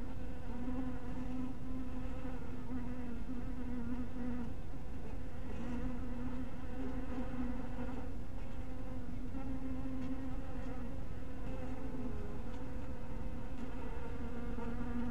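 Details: Honey bees at a bee cottage in warm twilight light, their massed wing hum steady and droning, a low buzzing band with layered overtones above, swelling and easing slightly throughout with faint clicks.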